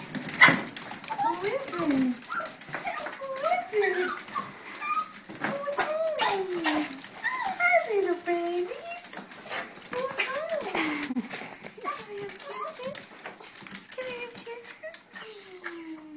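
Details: Small pet Chihuahuas greeting their returning owner, excited: high, wavering whines and yelps rising and falling repeatedly through the whole stretch, mixed with a man's talking and indoor clatter.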